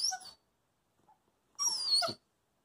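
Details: Coastal wolf puppy, a wolfdog, chattering for treats while its owner eats: two brief high, squeaky, wavering vocal bursts separated by about a second of near silence.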